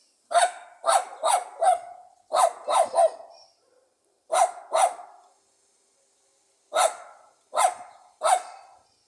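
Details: A Pug dog barks in sharp, confident bursts, strong for its small size: quick clusters of two or three loud barks separated by short pauses, about ten barks in all, with no other sounds.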